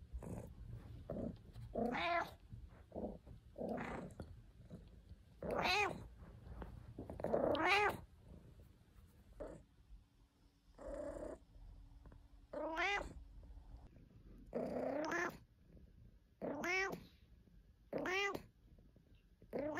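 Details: Caesar von Schwanheim, a pet cat, in a compilation of his purring and complaining: many short harmonic meows, some rising then falling, come in irregular bursts about every second or two, with a few longer drawn-out wails among them.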